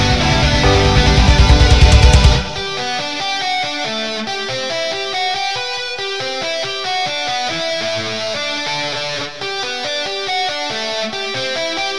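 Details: Loud strummed electric guitar music with a heavy, steady beat fills the whole recording, with no barking, whining or other animal sounds.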